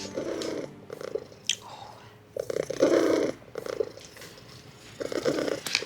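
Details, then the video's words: Thin stray cat with poor fur at a vet clinic, purring loudly in its chest while being listened to; bursts of rough, throbbing purring with short pauses and soft handling noises. "Listen to the purr in this cat's chest. It's ridiculous."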